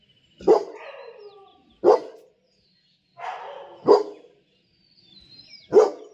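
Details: Pet dog prompted by a person asking who has arrived, giving four loud gruff barks about every one and a half to two seconds, with softer whining and grumbling sounds between the barks.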